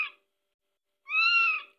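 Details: Masha, a Scottish Fold kitten, gives a thin, high-pitched meow, crying because she wants to go to her mother, before settling to sleep in her owner's warmth.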